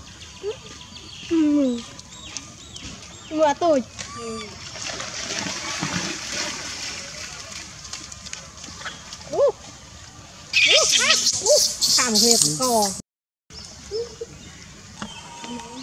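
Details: Wild baby monkey named Lizza in the forest of the Angkor Park area, crying to call its mother: short arched, wavering cries recurring, then a run of loud harsh screeching bursts near the end, over steady background hiss.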